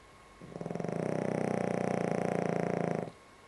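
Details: Dog snoring while asleep indoors, a calmer night by its usual standard; one long, even, vibrating snore of about two and a half seconds with a fast fluttering pulse throughout, in a quiet room.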